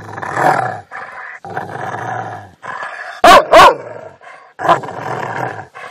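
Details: Rottweiler dog giving rumbling growls interrupted by a quick double bark in the middle and a single bark near the end.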